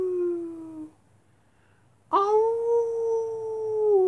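A wolf gives two long, smooth howls, the first sliding gently downward and the second rising sharply before holding steady.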